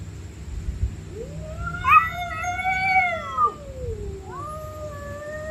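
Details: Angry stray cats at night during a fight: a loud, rising then falling harmonic yowl lasting about two seconds, followed by a second shorter wail rising and holding steady, against a low hum.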